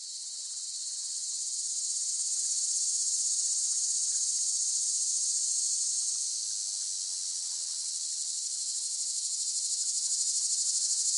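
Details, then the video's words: Cicada song: a steady, dense, high-pitched shrill buzz that swells in loudness over the first few seconds, then holds almost unbroken, with a faint wavering pulse and no other clear sounds. "เสียงจักจั่น ฟังเพื่อผ่อนคลาย (Cicada Sound Effects)【セミの声】"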